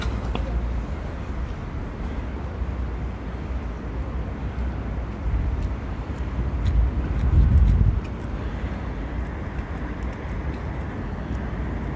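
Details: Steady low rumble of traffic and wind noise, with faint brief clicks and no animal calls.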